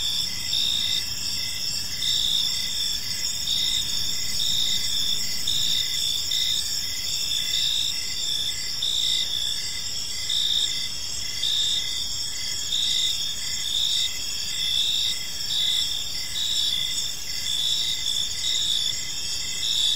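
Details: Crickets chirping on an evening in a peaceful park, a steady high trilling chorus layered in several bands with pulsed notes repeating about once a second, over a soft low background rumble.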